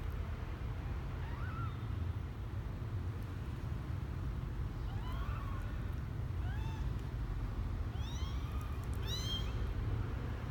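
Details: Twelve-day-old male kitten on his first trip out of the box, January 12, 2020; faint high arched mews, sparse at first then clustered near the end, over a steady low rumbling background hum.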